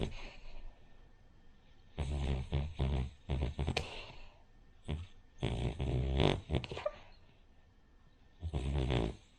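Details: Sleeping Cavalier King Charles Spaniel named Rin snoring like a pug or bulldog; clusters of short, rattling, gravelly snorts alternate with quiet pauses, and a softer lull falls midway.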